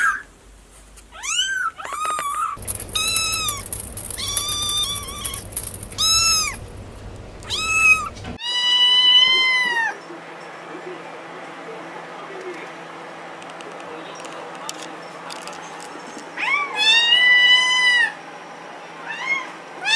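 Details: Domestic cats meowing, a compilation of short cut-together recordings: repeated arching, harmonic-rich meows, some high and thin, others longer and falling, with a steady background hum in parts and quiet gaps between calls.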